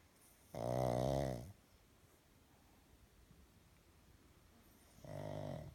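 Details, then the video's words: Pug snoring loudly while asleep indoors: two rasping, low, buzzy snores about a second long, spaced roughly four seconds apart, with quiet breathing in between. "Pug snores"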